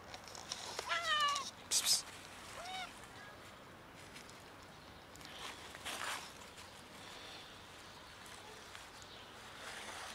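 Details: A sick and hungry ginger cat giving a few short, thin meows near the start, bending upward in pitch, followed by a sharp clatter and long quiet stretches of faint background noise.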